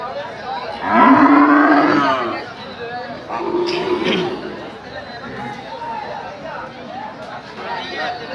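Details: Large cattle at a Qurbani Eid cattle market: one loud, drawn-out moo lasting about a second near the start, followed by men talking and general crowd chatter.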